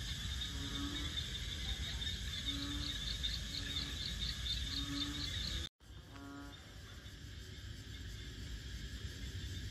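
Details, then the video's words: Frogs calling in the rural-like wetland of Bình Quới, Thanh Đa island, Ho Chi Minh City, Vietnam; low hoots about every second and a half mixed with rapid pulsed higher trills, all under a constant shrill insect hum, briefly cut off midway. "Frogs Singing In Saigon"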